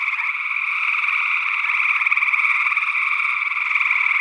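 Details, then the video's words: Dense overlapping trills of gray tree frogs form an unbroken chorus. Recorded in early June 2022 in Northwest Wisconsin, where a second, unidentified frog species was also calling; made with paired SE Electronics sE8 microphones in ORTF configuration. "Gray Tree Frog Calls"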